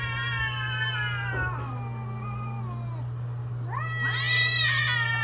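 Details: During mating season, a cat holds a long level yowl that slowly fades, then a second wail rises sharply and wavers near the end; steady low hum throughout.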